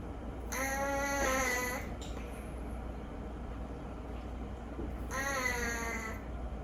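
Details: Indoor rescue cat from a collapsed 50-cat household, nose always a little blocked, snoring loudly in its sleep. Two beeping, reedy, whistled snores last about a second each, with three quiet seconds between them.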